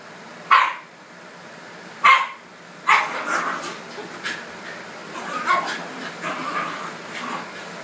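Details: Shiba Inu dogs squabble over a red couch indoors: three loud sharp barks about one and a half seconds apart open the scene, followed by a run of quieter yips, grumbles and scuffling.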